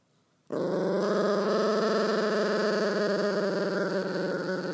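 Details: A dog with fluid on the brain, in a cranky night-time mood, gives one unbroken, sustained, droning moan-growl starting abruptly and holding steady pitch for over four seconds.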